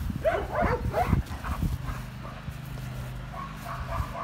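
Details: Dog firing off three quick high barks at the start, followed by a few fainter yips over a steady low mechanical hum.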